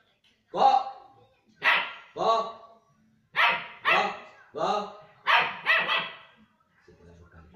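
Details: Young German Shepherd pup barking in an uneven series of high, harmonic yaps, some in quick doubles, with brief quiet gaps and faint low rumbling near the end.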